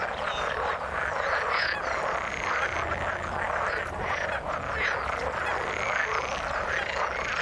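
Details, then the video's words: Water-dwelling frogs keep up an unbroken chorus of croaks and rattles, some voices swelling louder in short bursts. A soft low hum runs underneath throughout. "Frog sound in the water"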